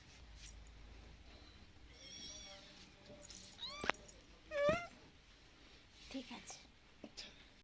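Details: Kitten abandoned on the road and being hand-fed, uttering several wavering rise-and-fall meows, one drawn out and two shorter, with soft Bengali speech nearby.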